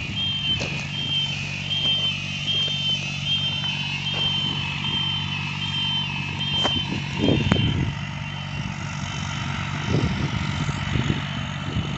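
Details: Tractor engines droning and rumbling with occasional clanks and a high whine, with no animal sounds.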